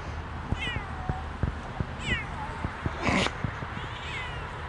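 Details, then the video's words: Siamese cats Otani and Yozora off-leash on a rainy forest walk, talking to each other after jumping a creek: three short, falling, thin meows spaced over a few seconds, with rain patter and soft footsteps. "Noisy Siamese Cats try to avoid Water, Sweetly Talk to each other after a Creek-Jump"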